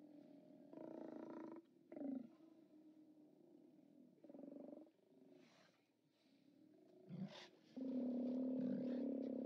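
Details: Steller sea lions at a haulout, captured by live camera on 29 October 2017: deep, harmonic roars in separate bursts of about one second, then one long sustained roar at the end, with quiet gaps between.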